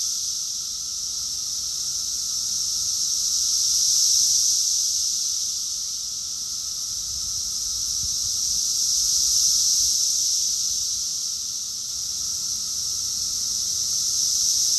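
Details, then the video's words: June 2021 summer chorus of cicadas in Rockville, Maryland, USA: an intense continuous buzzing drone waxing and waning in waves about every five seconds, with a faint low background hum. "Cicadas song || Cicada's chorus song"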